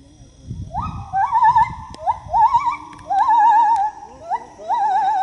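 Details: A gibbon sings while swinging through the trees, giving loud, rising whoops that break into quavering trills, repeated about once a second.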